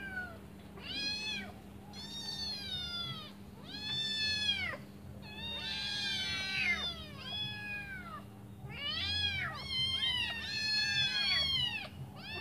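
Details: Hungry kittens, five in a litter, cry while waiting for their mother to come back and feed them. Their shrill, arching mews overlap in dense bursts and are separated by brief pauses, over a low constant hum.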